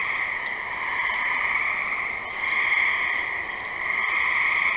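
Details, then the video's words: Gray tree frog calling: a steady, musical high trill that holds at one pitch, swelling and easing in long waves, over a constant hiss with a faint lower hum beneath. "Gray tree frog"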